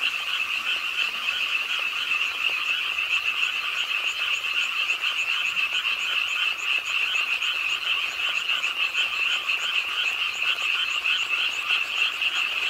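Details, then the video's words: Pond-side frogs in Ingye Art Park, Suwon, croak with the night rainfall; unbroken massed chorus of rapid, rattling high-pitched calls blending into one continuous shimmering trill. "비오는 밤 개구리소리, Do you hear the frogs? 비오는 밤 공원 연못 추억의 개구리 소리, Frog Sounds, 빗소리와 함께 듣는 개구리 우는 소리"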